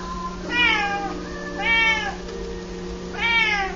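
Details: Male F4 Chausie cat indoors, playing fetch with a balled-up piece of foil, gives three drawn-out, rising-then-falling meows about a second and a half apart, over a steady low hum.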